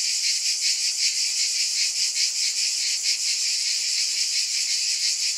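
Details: Cicadas in a continuous dense buzzing drone, bright and hissy, with a soft pulsing swell roughly two to three times a second and no other sounds audible.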